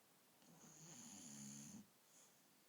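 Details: Snoring from Akira, a female dog sleeping on someone's bed at night: a single drawn-out rasping inhale lasting over a second with a thin whistle on top, then a faint breath out in an otherwise quiet room.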